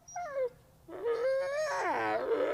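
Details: A gray wolf at the Wolf Conservation Center in South Salem, New York, an ambassador wolf known as a lazy howler, answers a person's howls with a grumbly, groaning howl with wavering, harmonic-rich tones.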